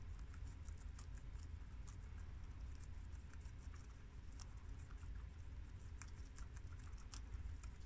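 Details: Four guinea pigs, boars Shiro (tricolour American) and Crash (red American) and sows Cookie (long-haired mini Yak) and Peanut (Abyssinian), eat freshly washed garden Romaine lettuce in a steady run of soft, crisp crunches and clicks.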